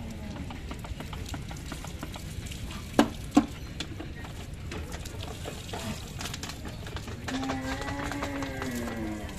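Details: Mother cow during bath time and cleaning: after two sharp knocks, a low moo with rich overtones swells near the end and holds for about two seconds, over a constant murmur of background noise.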